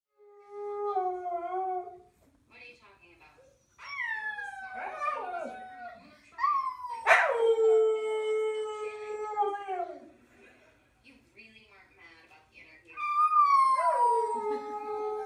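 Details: Huskies singing woo-woo howls: separate drawn-out howls, several starting high and sliding steeply down to a steady lower tone, with short broken yips between and quiet pauses.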